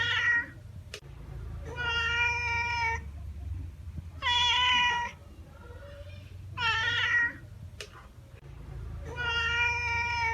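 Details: Domestic cat, listed among common animals in Taiwan, meowing: five loud, drawn-out, harmonic-rich meows spaced roughly two to three seconds apart, each slightly wavering in pitch, over a steady low background rumble.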